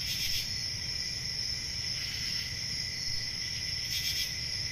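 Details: Night crickets in summer sustain a piercing, even trill with a softer lower tone beneath. Brief hissy flares come at the start and again near the end, over a faint low rumble.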